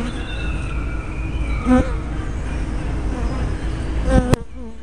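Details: Hive entrance in spring, 24 May 2012, captured by a tiny spy camera: continuous deep bee drone, brief louder buzzes as insects pass the microphone, and a sharp click near the end.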